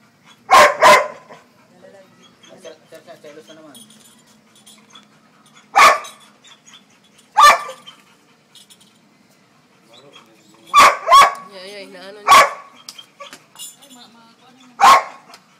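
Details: Labrador Retriever giving loud, sharp barks at irregular intervals, sometimes single and sometimes in close doubles, about seven or eight barks over fifteen seconds, with quiet conversation in Tagalog in the background.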